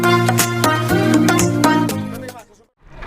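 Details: No animal sound is heard, only loud rhythmic music with a strong beat that fades to near silence at the end.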